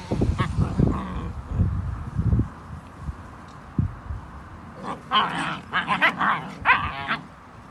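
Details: German Shepherd puppies at a breeding farm; low thumps and scuffling at first, then a burst of shrill, quick yips and barks in the last few seconds.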